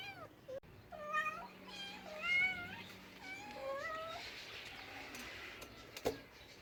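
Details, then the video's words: Cat giving a rapid series of short meows, several overlapping, arched and slightly wavering calls packed into four seconds, then quieter with a sharp click near the end. "Funny cats sounds"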